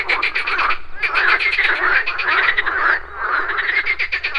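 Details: Morning pond chorus of frogs: rapid trains of pulsed croaks rising and falling in bursts, with a brief lull near the third second.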